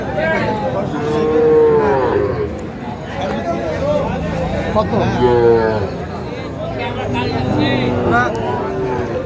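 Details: At a Faridpur calf market in Bangladesh on 17 March 2025, Sahiwal cattle low repeatedly: two strong, rich, slightly falling moos about four seconds apart, then fainter lowing, with market voices throughout.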